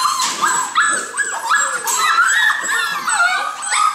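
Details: A litter of Golden Retriever puppies at play in a kennel. Many overlapping whiny yelps and whimpers rise and fall in pitch, with brief squeaky yips packed densely throughout.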